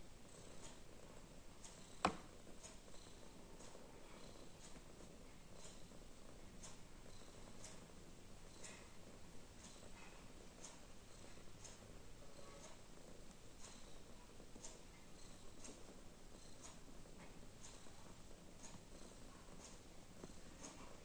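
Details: Female cat undecided between playing and sleeping, purring: a quiet, continuous low purr with a gentle pulsing rhythm, one sharp click early on and faint rustling throughout.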